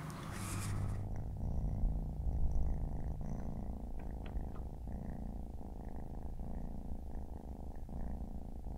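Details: Siamese cat family with four kittens resting by their mother on a Saturday afternoon; after a brief bright rustle at the start, a steady low rumbling purr runs throughout, softly pulsing with each breath.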